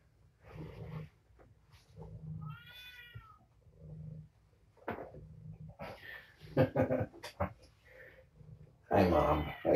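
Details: Kittens of a surrendered mother cat at evening dinnertime indoors; one clear harmonic meow early on, then faint mews amid a woman talking to the cat and loud handling noise at the end.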